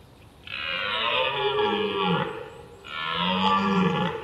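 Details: A red deer stag gives two long, deep, guttural roars, each sliding lower at its end, a bugling mating call.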